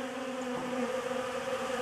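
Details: Honey bees at a homemade pollen substitute produce a constant humming drone with a clear low tone and overtones, steady in loudness throughout, ending with a faint tick.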